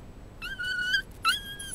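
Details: Toy Poodle staying at a pet hotel, crying while looking for its family who had gone; a long, thin, high whimper held steady for half a second, then a shorter rising-and-falling one, in a quiet room.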